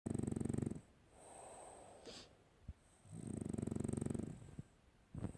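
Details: French Bulldog snoring while asleep: two long, low, rattling snores on the in-breath, about three seconds apart, with soft wheezy breathing between them and a faint steady high whine in the background.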